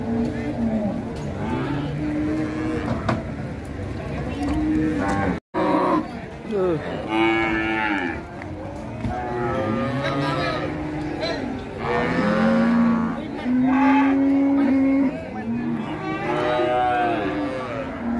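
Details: Rampaging sacrificial cow coming off a truck at Siyono Harjo market, Indonesia; repeated long bellowing moos, some sliding downward, follow one another with short gaps amid a background of people and engine noise.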